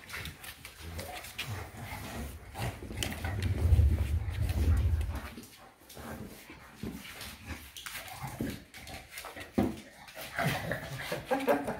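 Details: A Shar Pei named Eva plays wildly inside, giving a deep, sustained growl for a couple of seconds before it fades into shuffling, knocking and scrabbling sounds.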